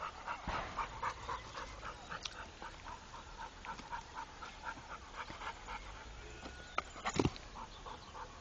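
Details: Steady, fast breathy pants from Rako, a trained Pit Bull, repeating several times a second, with a brief clatter toward the end.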